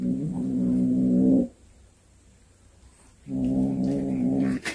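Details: Low, harsh, sustained growl from a cat that brought home a snake it caught, two drawn-out yowls about one and a half seconds each, separated by a quiet pause and ending in a sharp knock.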